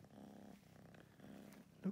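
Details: Rescued domestic kitten in its new Berlin home purring briefly: two short low rumbling pulses, quiet, with a slight knock near the end.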